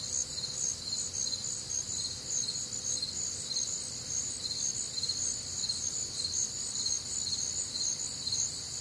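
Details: On a humid, warm Midwestern summer night, many crickets chirp together in a constant high shimmer, the lower band throbbing in quick regular beats beneath steadier upper trills.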